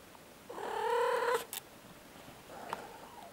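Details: A Siamese cat chatting with a visitor answers her voice with a loud, sustained, harmonic meow that swells and then cuts off, followed a moment later by a softer, shorter meow, with faint room noise behind.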